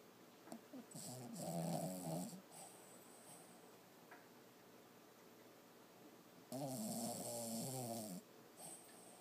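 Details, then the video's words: Toby, a six-month-old Lhasa Apso puppy, snoring while asleep and dreaming indoors: two long rasping snore breaths, each around a second and a half, with faint soft noises and room hiss between them. "puppy snoring and dreaming so cute"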